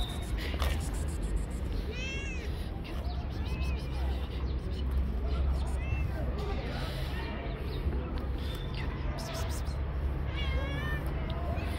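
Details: Hungry stray cat living on the street, jumping up and hugging a hand, gives several short rising-and-falling meows over a steady low rumble and background noise.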